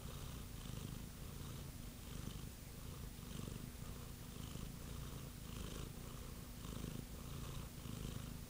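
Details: Domestic cat purring steadily, a continuous low rumbling vibration with a gently pulsing rhythm, each breath cycle swelling roughly once per second, close and indoors-sounding.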